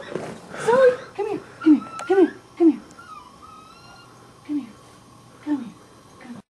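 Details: Miniature Pinscher puppy under attack from a deer gives a series of short, arching whimpers. They come quickly at first, then at spaced intervals as they fade, while a person talks softly in the background.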